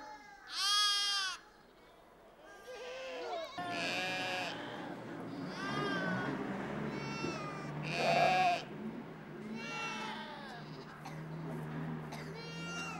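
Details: Mixed herd of Changthangi goats and sheep in the Himalaya; loud tremulous bleats recur every few seconds over a steady low rumbling background, with quieter distant bleating between the strongest calls.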